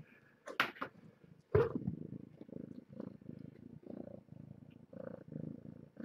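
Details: Kittens of the stray cat Nala Se, born June 21st at Purrfect Pals, purring at a breakfast drop-off; a steady pulsing low rumble follows a few sharp clicks and bumps near the start.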